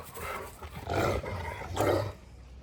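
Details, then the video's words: Angry dog confronting a Dogo Argentino, giving two rough, roaring growls about a second apart, low and harsh, against a noisy background. "Angry dog vs dogo argentino"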